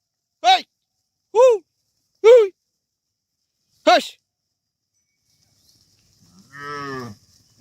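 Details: Cattle from a herd of dozens of tame animals being guided back to their farm pen. Four short, bright, harmonic calls come roughly a second apart. After a pause, one lower, longer, quieter moo follows.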